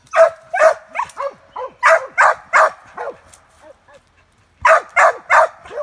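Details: Cur pup worked on a caged squirrel in squirrel training, giving rapid bursts of sharp, slightly yelping barks, a cluster of about ten, a brief quieter lull with soft yips, then four more barks.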